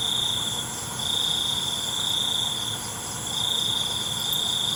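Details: Night crickets produce a high, ringing trill that runs about two seconds, pauses briefly and resumes, all over an unbroken, shimmering insect background.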